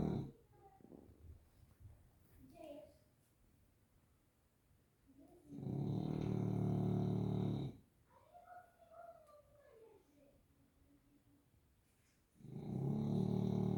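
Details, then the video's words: Grizzly the bulldog snoring: two long, loud, low rumbling snores around six and thirteen seconds, separated by quieter breathing with faint higher tonal sounds between them. "Snoring Bulldog"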